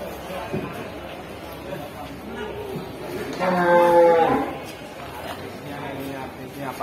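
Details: Cattle, described as among the largest around now, at a livestock market in Kudus, Central Java, Indonesia: a single drawn-out, harmonic-rich moo lasting about a second, amid crowd chatter, speech and background music.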